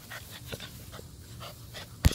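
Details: American Bully merle pup panting in quick breathy bursts, roughly three or four per second, over a steady low electrical hum, ending with a sharp knock.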